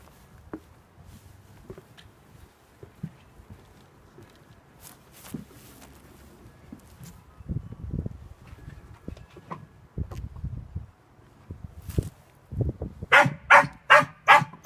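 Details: Sealyham Terrier named Bond J. Bond at earthdog practice on Dec 17 2016, learning to tunnel for a rat. Thumps and scrabbling sounds lead into a quick burst of about five sharp barks near the end, with a man's voice urging him on.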